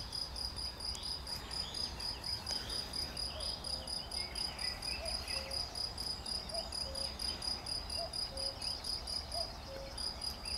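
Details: Cricket chirping on 11 June 2020: a continuous shrill, rapidly pulsed trill that throbs evenly about twice a second, with faint low tonal notes and soft rustling behind.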